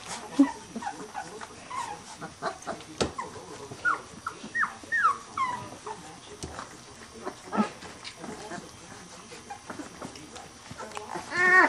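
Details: Three-week-old Weimaraner puppies of the Bravo litter, out of Trixie and Clay, crowding at feeding time: thin rising squeaks and whimpers, several pups overlapping in short bursts, with a person talking softly throughout.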